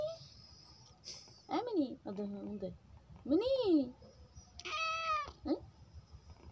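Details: Pet cat meowing indoors, several drawn-out meows that rise and fall in an arch, spaced a second or two apart, with a person softly speaking the cat's name between them.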